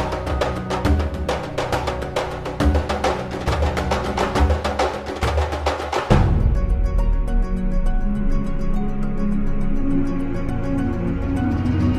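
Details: Loud percussive music with wood-block beats gives way to sustained instrumental chords; no animal sound.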